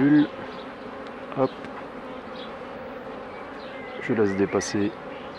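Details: Honey bees humming steadily around hives being worked by a beekeeper, a dense even drone that holds throughout, broken by a brief man's voice at the start and again near the end.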